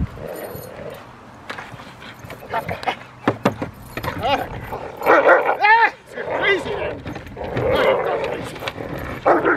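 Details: Foofy, a 13-month-old female Rottweiler, in protection training on April 10, 2021, preparing for ZTP and IGP1: a burst of sharp, harmonic barks clustered mid-clip, with a man's voice talking across the whole stretch.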